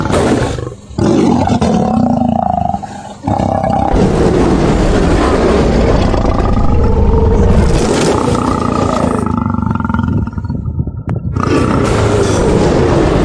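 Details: Cape lion (Panthera leo melanochaita) vocalizations: deep, throaty roars swell and fade in long rasping pulses, with rumbling growls between them and brief pauses.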